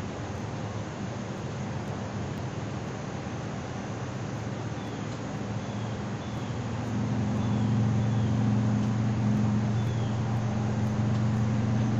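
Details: Steady low engine hum and broad background noise that grows louder midway, with no clear animal voice.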